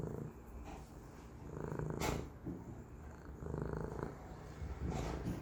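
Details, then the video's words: Pet cat purring, a low pulsing rumble steady throughout, rising and falling with each breath, with a few short breathy bursts, recorded in a quiet room. "Cisco purring, Little b sneezes , Goku meows"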